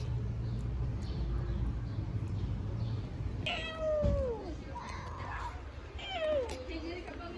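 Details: Newborn kittens in Istanbul calling while looking for their mother cat: a few loud, downward-sliding meows with rich harmonics around three and six seconds, over low street rumble and a woman talking softly in Turkish.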